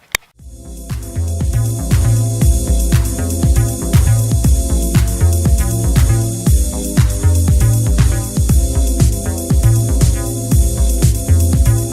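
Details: Steady upbeat disco-style music with a thumping bass line and a regular beat throughout, with no animal sound audible.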